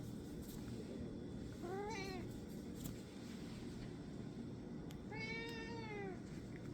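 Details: Tortoiseshell cat recorded on January 8th, 2024, giving two clear meows with a steady rising-then-falling pitch, the second longer and drawn out, about three seconds apart, over a low hum.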